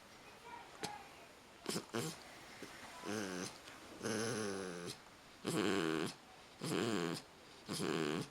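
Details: Pit bull sleeping after a bath, snoring loudly indoors; after a few scattered clicks, harsh rasping snores with a buzzy, vibrating texture come in long breaths roughly every second and a half.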